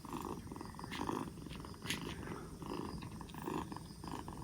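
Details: Recovering black Bombay kitten aged two months, four days after rescue with its cough gone, gives a steady low purr, rumbling in repeated in-and-out breath cycles roughly every second, with faint clicks between.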